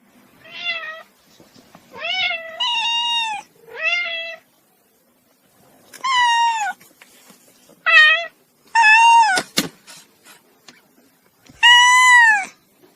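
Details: Cat meowing repeatedly, about nine meows in irregular bursts, each rising then falling in pitch, with a short sharp click between calls and quiet gaps.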